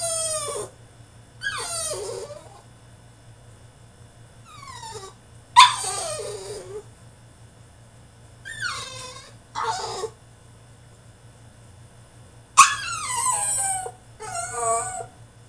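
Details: Caged French Bulldog in a tantrum, letting out a series of high, harmonic whines and yelps that slide downward, about seven outbursts spaced irregularly, with quiet gaps and a faint low hum between.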